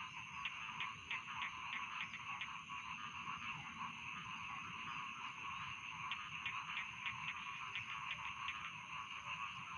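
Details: Rice field frog chorus for falling asleep, continuous layered trills, with clusters of sharp clicking pulses repeating rapidly near the start and again after six seconds.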